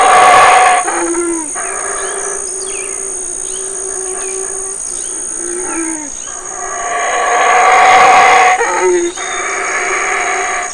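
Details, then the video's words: Large male black howler monkey howling at Burrell Boom, Belize, as his family, including two young sons, feeds on figs. Throaty, growling roars swell loudest near the start and around eight seconds, with constant high-pitched insect drone behind. "Black Howlers of Burrell Boom, Belize"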